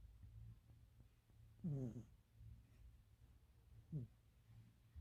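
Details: Sleeping cat snoring loudly, likened to a human snore, indoors; two raspy inhaled snores about two seconds apart over a low steady hum.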